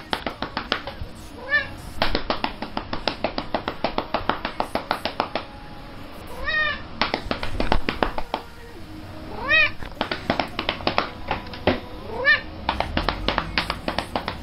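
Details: Scared domestic cats; several short meows that rise and then fall in pitch, heard about every three to five seconds over loud rhythmic music with steady beats.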